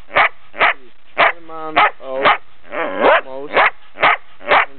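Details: Nearly ten-month-old female Belgian Shepherd barking in Brno, Czech Republic, on 3 March 2007: about nine loud, clipped barks at an uneven pace, interrupted by tonal whining yelps and a longer strained whine near the middle.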